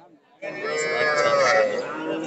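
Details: Cattle at a market in Narail, Bangladesh, on 18 May 2024, where a farmer buys small bull and heifer calves. A single sustained, harmonic moo begins abruptly and holds steady for about two seconds, with faint human voices underneath.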